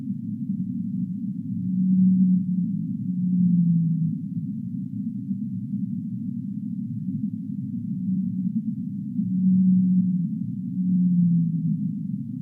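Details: Deep-sea whale giving low, sustained moaning calls in pairs, the later note of each pair drifting downward, repeated after a gap of several seconds over a constant low rumble.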